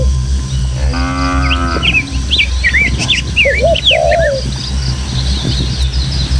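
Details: A single level, resonant moo of about one second comes from a tame kampung cattle herd walking footpaths through rural hills to the pen, followed by a run of sharp, rising bird whistles and chirps against low wind noise.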